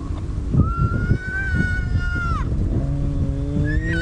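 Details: Spotted hyenas at an active den in Djuma Game Reserve, Sabi Sand, South Africa, on a sunrise drive on 20 October 2017, greeting one another: a long high whine bending down, then low drawn-out tonal moans, under a steady low rumble.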